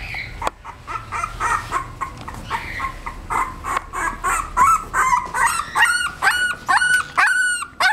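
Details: A 17-day-old female English bulldog puppy whimpers. Soft, uneven whines at first build into clearer, rising-and-falling squeals that repeat more steadily toward the end.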